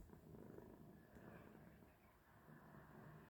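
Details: A cat purring quietly: a steady, low, rumbling purr that continues without a break through the whole three seconds, with faint background hum.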